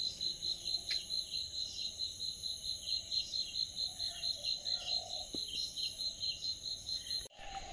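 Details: Insects calling in the morning on the grounds of Ramakrishna Math, Bamunmura, West Bengal, India; a steady high-pitched pulsing chirp repeated roughly twice a second, with faint bird notes and a brief human sound in the background.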